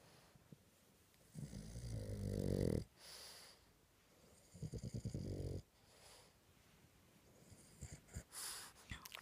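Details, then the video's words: Boston Terrier snoring while asleep indoors: two long, rough, low rasping snores, each lasting over a second with a pulsing rattle, separated by quieter breathing and a few soft snuffles. "boston terrier snoring"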